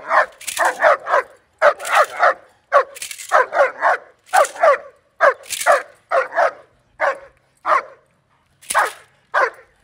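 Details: German Shepherd during his first day of bite work training gives steady rapid barking in clusters of two or three, with brief gaps, some barks growing sparser and single toward the end.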